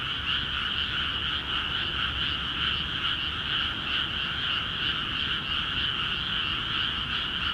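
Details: Many frogs croaking together in rice fields newly filled with water in Akiha Ward, calling vigorously; an unbroken wall of rapid, pulsing croaks with slight rhythmic swells, over a low steady rumble.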